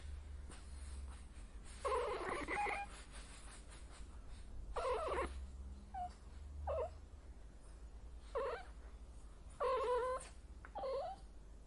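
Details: Female cat in heat calling in scattered bursts: drawn-out moaning wails alternate with shorter yowls and brief chirps, separated by pauses of one to three seconds, with a constant low hum underneath.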